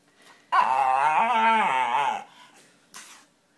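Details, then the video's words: Pet dog making a funny noise, a single loud, drawn-out harmonic whine lasting about two seconds with a slightly wavering pitch, followed by a soft short rustle. "Dog making funny sounds"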